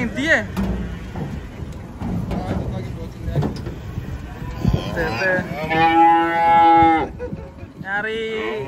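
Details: Cattle being unloaded from a truck give a long harmonic moo in the second half, held about two seconds, then a shorter moo near the end, over clattering hooves, vehicle noise, voices and music.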